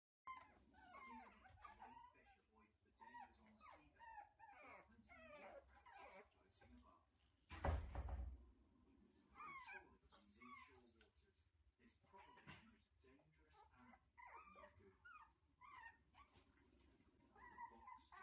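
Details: Shih Tzu puppies whimpering and squeaking indoors, thin high whines rising and falling in quick irregular bursts throughout, with a person speaking softly and a loud thump near the middle.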